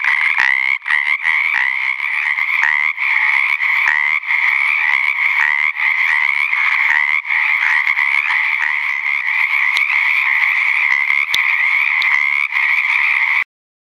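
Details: Male Pacific chorus frogs (Pseudacris regilla) in ponds in Napa County, California, late February 2009, call together in a dense, continuous chorus of rapid, raspy two-part 'kreck-eck' croaks to attract females.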